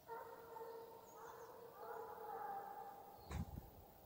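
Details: Russian hound on the gon chase in Ivanovo region, singing its farewell chase song: drawn-out tonal baying with gentle pitch bends, interrupted near the end by a sharp thump and low rumble.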